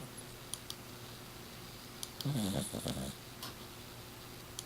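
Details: Miss Piggy, a six-year-old Exotic Shorthair, snoring in her sleep indoors: one loud, rough, low snore lasting about a second, with faint fainter breathing noises and a steady low hum in the room.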